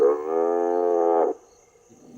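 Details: A recorded buffalo calf distress call is played from speakers in a reserve to lure lions close. It is a loud, harmonic, drawn-out bleat lasting over a second, then quiet.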